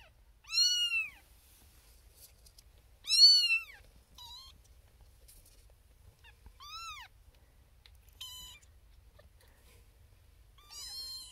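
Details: A female Siamese kitten, first-born of her litter (born 1 April 2021), gives loud, high, arching meows every few seconds from a birthing box with six sleeping littermates, demanding human attention until she feels a hand and hears a voice.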